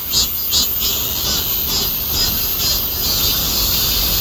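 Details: Cicadas producing a continuous shrill drone, high and hissy, with rhythmic swells repeating a little over twice a second, and soft low background noise.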